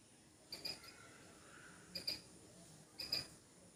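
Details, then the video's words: Squirrel making noise in a backyard, called naughty: three quick bursts of high, thin squeaky chips. Each burst holds two or three sharp notes, and the bursts come about a second apart. Faint background hiss. "Funny squirrel is making noise"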